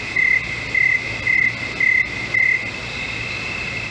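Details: Crickets in a swamp: short, shrill pulsed chirps repeated about every half second, five bursts in a row, over a steady high-pitched drone, then the chirping stops.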